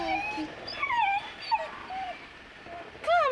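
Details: Two-month-old Saint Bernard puppy, afraid to go down stairs, gives thin rising and falling whimpers, several short wavering whines in a row, as a woman's voice softly coaxes it to come.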